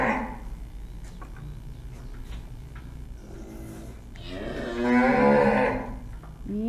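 A cow gives one long, loud, rich moo that swells and then fades, after a quiet stretch of low room hum; another moo begins at the very end.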